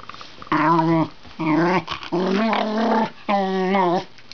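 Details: Pet Wire Fox Terrier 'talking': four long, wavering, groaning vocal phrases, each about half a second, in a small room.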